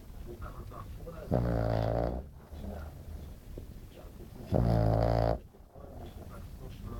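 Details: French Bulldog named Glamy napping indoors, snoring loudly: two long rumbling, harmonic-rich inhalations about three seconds apart, each lasting under a second, with quiet breathing between.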